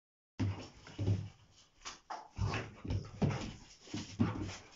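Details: Two Rottweilers meeting each other give deep, low barks and grumbling whines in short bursts about once a second.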